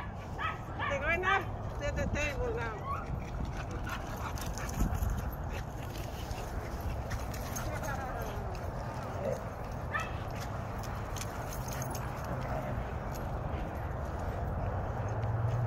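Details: Two dogs, Hugo the English Mastiff and Chica the pit bull, play together at a dog park; a burst of high, rising yips and whines comes early on, followed by rough low vocal noises, with a woman talking over them throughout and steady outdoor rumble.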